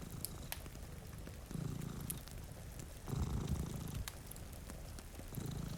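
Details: Two domestic cats sleeping in front of a rainy window beside a cozy fire; low, rumbling purr swelling in bursts on each breath, roughly every two seconds, with sharp fire crackles and soft rain hiss behind.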